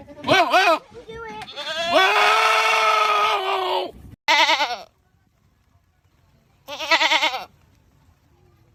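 A goat gives loud, wavering, human-like screams, one long and drawn out, separated by short silences.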